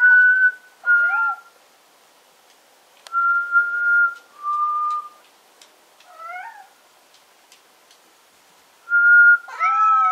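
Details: Black cat named Bitter meowing in reaction to a person's whistling: short bending, harmonic-rich meows near the start, around six seconds and at the end, set between steady, level human whistled notes in a quiet indoor room.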